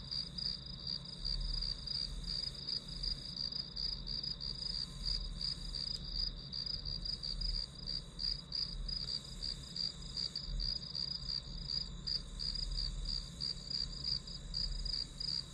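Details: Insects in the grass keep up a rapid, even chirping, short shrill pulses about three each second, layered over a steady high drone and soft low-frequency noise, used as ambient study sound.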